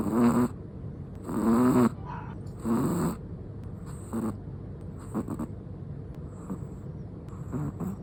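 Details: Sleeping black and tan long-haired Chihuahua snoring indoors, relaxed: short rasping snores in uneven bursts of about half a second, roughly forty a minute, louder at first and then softer, with quiet breathing between.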